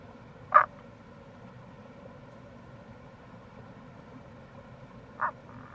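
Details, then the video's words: Rana tagoi, Tago's brown frog, near a gorge in Itoshima, Fukuoka, Japan, in April: two short gruff croaks about five seconds apart, the second trailing into a soft pulse, over steady flowing-water hiss. "Wild Frog Call | タゴガエル"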